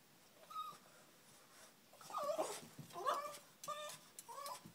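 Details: Female Boston Terrier, excited at the offer of her daily run at the park, cries indoors: a string of high, wavering whines and yelps, some sliding up and down, about five in quick succession.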